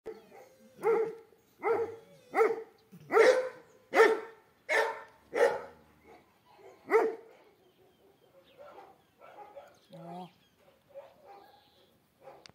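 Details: Eight-month-old male Cane Corso Italiano barking: a run of deep, evenly spaced barks roughly every seven tenths of a second, then softer scattered sounds and light background noise.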